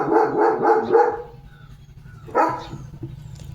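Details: Leo, a pet German Shepherd, on a morning while waiting to be fed a hot boiled egg: four quick, tonal, yelping barks in a fast burst, then a pause and a single short bark near the end.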